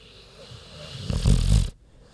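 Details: A single loud snore from Queenie the sleeping pig: a low, rattling snort swelling over about a second, then stopping abruptly into quiet.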